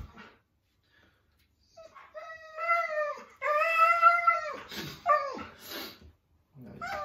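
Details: Indoor Siberian Husky talking back to dad in a string of rising and falling howl-like moans, several drawn-out notes followed by short choppy yips and whines after a quiet start.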